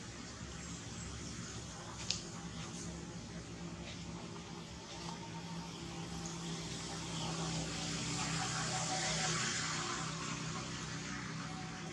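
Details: Indoor background hiss and low hum with a few sharp clicks and a slowly swelling noise, but no clear animal voice.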